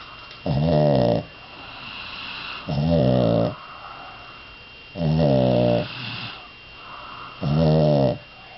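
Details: Dog asleep indoors, snoring steadily; four loud, buzzy, harmonic snores each lasting under a second, repeating regularly about every two and a half seconds, with quiet breathing between and a faint constant electrical hum.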